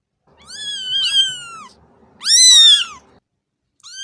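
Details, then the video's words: Domestic cat giving two long meows, the first wavering and trailing downward, the second louder, higher and more strained, with a third beginning at the close; faint low rumble underneath. "صوت قطة"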